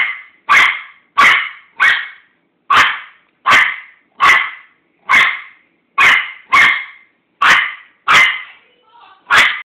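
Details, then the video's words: Pet Chihuahua wanting a treat, giving about a dozen quick high yaps spaced roughly every half second to second, some in close pairs, with a faint murmur near the end. "A Barking Chihuahua"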